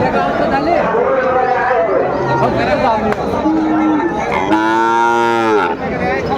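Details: Sahiwal bull calves at a busy cattle market in Sylhet, Bangladesh, 15 June 2024; a short low moo, then a louder sustained bellow lasting about a second, amid loud talking and crowd noise.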